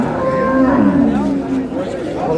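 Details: Cow at Ambari haat cattle market on 15 April '26, where improved-breed dairy cows and calves are sold; a steady low moo lasting about a second, with market chatter and background noise around it.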